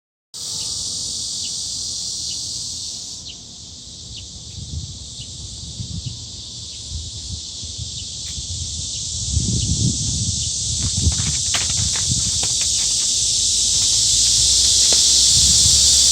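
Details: Cicadas calling in a steady, dense high-pitched buzzing drone that swells louder toward the end, with faint low rustling and thumping underneath.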